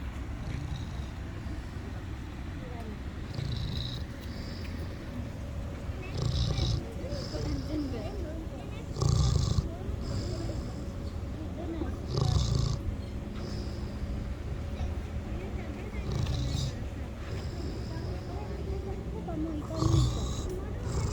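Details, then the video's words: Sleeping miniature pig at a petting zoo in Hisayama, Japan, snoring. Low, rumbling snores swell roughly every three seconds under a steady low hum, with people talking nearby throughout. "ミニブタのいびきがおじさんだった‼️Pig snoring"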